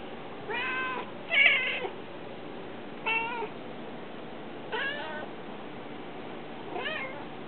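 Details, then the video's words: Pet cats Smokey and Casper meowing while trying to get outside, indoors: five distinct meows, some rising and falling, spaced roughly every one to two seconds, clear harmonic tones. "The Cat's Meow"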